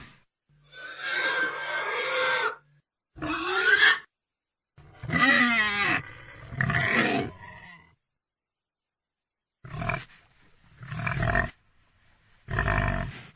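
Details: Pig producing harsh, noisy squeals and a rising shriek, followed by a long quavering squeal and several short, gruff grunts separated by silent pauses.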